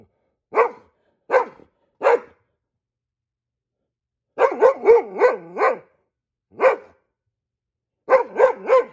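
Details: Goldendoodle barking like a guard dog at squirrels: loud separate barks, first three single, then a fast run of five, one more, and a final burst of three, in a quiet indoor room.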